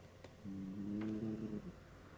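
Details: Shetland sheepdog snoring in deep sleep; a single soft, drawn-out nasal snore with a low humming, slightly whistling tone lasting just over a second, in a quiet room.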